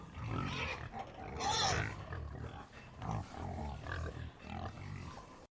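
A pig grunts in a run of deep, rough, snorting bursts.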